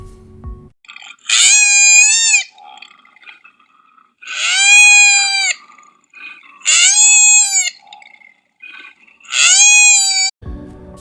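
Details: A koala gives four drawn-out alarm or distress cries like a child's scream, each about a second long, rising then holding steady, spaced roughly every two to three seconds.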